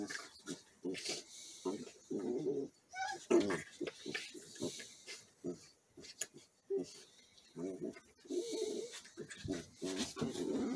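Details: Play-fighting Border Collie puppies, pouncing and going for the face, with choppy short growls and grunts separated by brief gaps, plus a few thin higher yelps.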